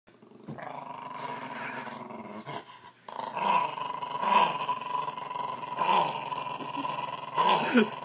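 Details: A dog makes motorbike-like noises as its ear is worked like a throttle: a steady, rumbling growl with a humming tone, swelling in louder revving bursts several times over eight seconds after a brief pause.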